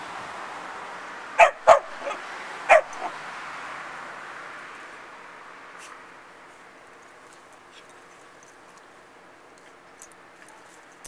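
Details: Puppy and foster pup at play, giving a short burst of four sharp yapping barks early on, then near silence with only faint clicks and rustles.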